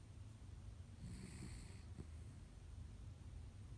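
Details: A female Japanese Spitz asleep on its back, snoring: low, rumbling breaths that swell with faint raspy bursts midway, over a soft steady hum in a quiet room.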